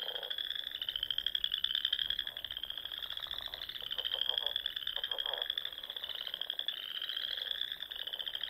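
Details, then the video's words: Frogs singing at dusk in spring among the rolling dunes and small ponds of Nebraska's Sandhills; a dense, continuous high trilling chorus with overlapping pulsed croaks pulsing in bursts lower down. "RELAXING SOUNDS OF FROGS"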